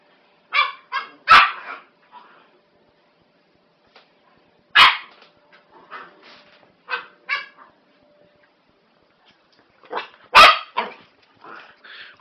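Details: A 12-week-old female Norfolk Terrier puppy roughhousing with an older dog; short yappy barks and yips in irregular bursts separated by quiet gaps, with a few louder sharp barks.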